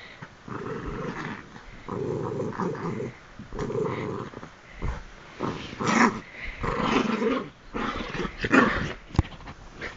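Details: Bichon Frise excited at bedtime, attacking feet and hands and bouncing, growls in repeated rough, buzzy bursts of about a second each, separated by short gaps, with rustling bedding and a few sharp noises.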